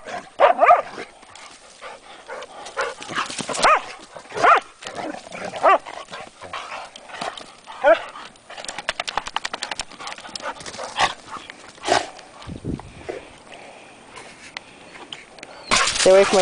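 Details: Two pet Hungarian Vizslas romping along the Delaware River near Delaware Water Gap, Pennsylvania, in April; scattered yelps and growly barks amid scuffling, splashing and rapid pattering, with brief human remarks.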